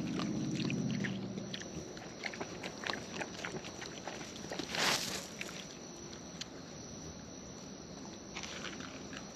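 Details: Raccoons in the wild eating at close range: quick crisp clicking bites repeated several times a second, a louder rustling crunch near the middle, and a low droning sound at the start.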